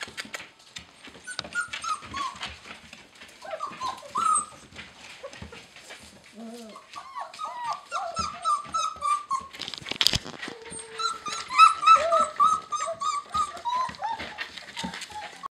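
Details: A litter of eight red and black German Shepherd puppies in Maine, tumbling together, whimper and squeal in dense overlapping bursts of high, wavering cries, several a second, with scrabbling paws, one sharp thump, and a person calling the puppies.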